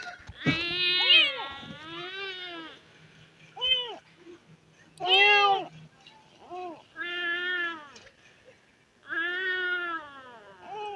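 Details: Abandoned street kittens calling out urgently for their dead mother: a string of loud, harmonic, arching meows, some drawn out and some short, repeated irregularly with brief pauses between cries.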